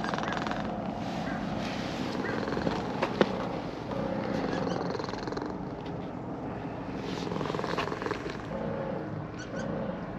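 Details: Being stroked, a brown-and-white cat that descended a slope in a park purrs happily; a steady low purr holds throughout, with a faint voice in the background and a single click.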